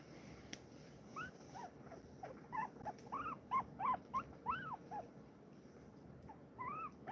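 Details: Large pet guinea pig held by its owner indoors, giving a quick run of short, arched squeaky calls, several each second, rising then falling, over quiet room hiss.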